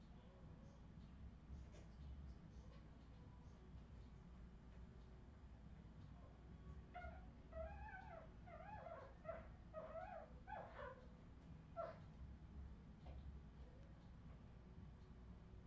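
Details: Australian Terrier puppies, Redwing, 2018, indoors; a run of high, wavering whimpers and squeaks about seven to twelve seconds in, over a low steady room hum with faint shuffling.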